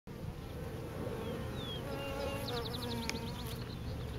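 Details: Swarm of bees gathered on a pine tree outdoors; a thick, continuous low hum of many wings, with a few brief higher whistles and rapid clicking ticks near the end.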